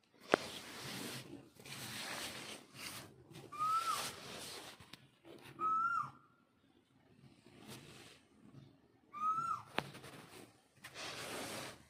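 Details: Mother cat calls to kittens with three brief, thin meows that rise and then dip, separated by bursts of broad rustling noise and a sharp tap.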